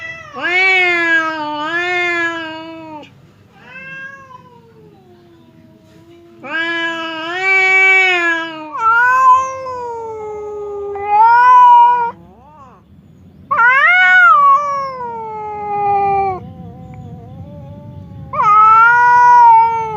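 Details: Two house cats separated by a divider exchange threatening yowls: a run of long wavering wails and shorter cries, loud and harmonic, repeated irregularly over twenty seconds with brief pauses.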